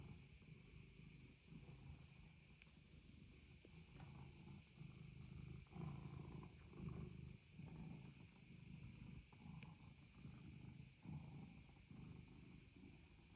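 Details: Norwegian Forest Cat purring at home; a low steady rumbling purr in repeated breaths about once a second, under a constant electrical whine.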